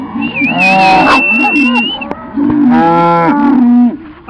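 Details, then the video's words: Cattle herded to new ground with a cattle dog and a second dog; loud sustained moos with rich harmonics, two long calls separated by a brief pause, a high whistle-like tone early and shouted commands nearby. "Raja Roxy Zora Rinderumstellen"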